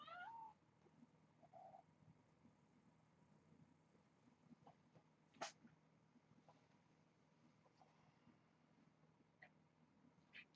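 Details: Hungry kittens at Purrfect Pals during rambunctious morning play before breakfast; a single short wavering meow opens, a fainter mew follows, then only soft thumps and low room hum.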